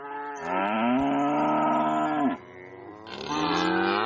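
A cow gives a long, loud, harmonic moo, followed by a second rising bellow.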